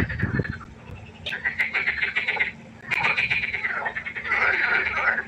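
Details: Frogs croaking at night by a pond, rattling pulsed bursts that start after a short low thump, then run in long overlapping stretches, growing louder toward the end.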